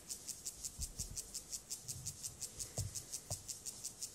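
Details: Rasping song of Gomphocerus sibiricus in a courtship context: short scratchy pulses repeated roughly twice a second, slightly uneven, over a few dull low knocks.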